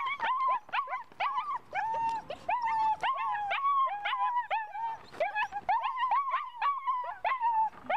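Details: Puppy showing ball drive, giving rapid high whines and yelps, each bending up then down, packed closely with short gaps, about twelve in eight seconds, a few sharper squeaky peaks; no other clear sounds.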